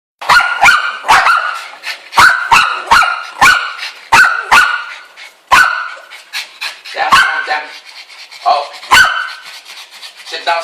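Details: A Bichon Frise gives sharp, high yapping barks, often in quick pairs, about a dozen over ten seconds, with softer whines and yips between, barking at birds on a screen.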